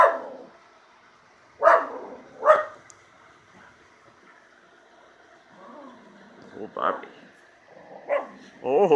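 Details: Two quick sharp barks from a miniature schnauzer named Jake hunting the yard, then scattered softer barks and a whiny rising note near the end, with a person's encouraging voice mixed in.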